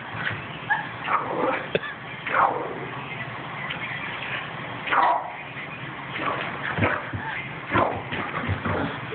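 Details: Boston Terrier going wild, recorded on a phone: a series of short sharp barks and yips spaced a second or two apart, with whimpering between them.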